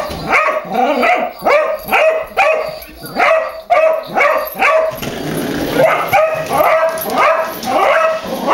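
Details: A household dog barks at a goofy remote-controlled car being driven to tease it; rapid runs of sharp, tonal barks with brief pauses, then a looser series over a rising mechanical whir.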